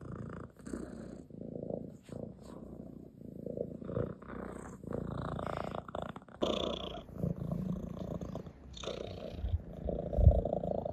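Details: Settled on a lap indoors, Ginger the tomcat purrs as he rubs his head against a hand. A deep, continuous rumble rises and falls in breath-long cycles, broken by light brushing and fur-rubbing sounds.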